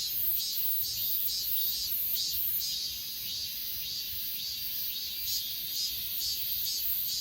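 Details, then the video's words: On Achasan mountain, grass insects recorded on an S20 Ultra in 8K chirp in quick, high pulses a little over twice per second, backed by an unbroken shimmering insect hum. "아차산 풀벌레소리"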